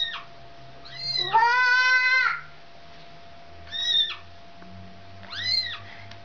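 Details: A mother cat calls for her kitten: one long, steady, strongly harmonic meow lasting about a second, then two shorter arched meows spaced a couple of seconds apart, with a faint low hum behind.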